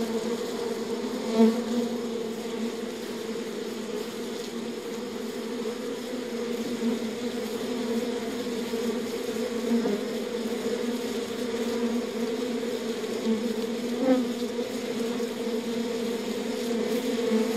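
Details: Hive of honey bees droning as one steady, dense hum, a low layered tone with a brighter band above it, swelling slightly at moments but otherwise unbroken for the whole stretch, with no other sounds.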